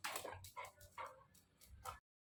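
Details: A female Golden Retriever, called repeatedly by her owner while right beside her, answers with short, grumbling yips and whines, as if scolding.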